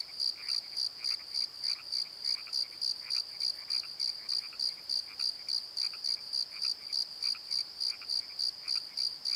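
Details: Crickets calling at night from a valley bottom by the Pozo Night Tree: steady high pulsed chirps, about three and a half per second, with fainter lower chirps scattered beneath.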